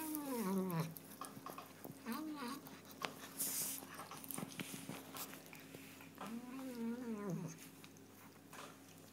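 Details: Chocolate point Burmese cat, cross-eyed, making odd noises while eating indoors: wavering, moaning vocal sweeps near the start, around two seconds and again near seven seconds, with chewing clicks and a faint steady hum between them.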